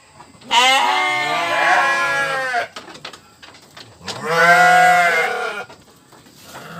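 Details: Sheep bleating twice, each nasal, quavering cry lasting about two seconds, with a pause of roughly one and a half seconds between them and faint clicks in the gap.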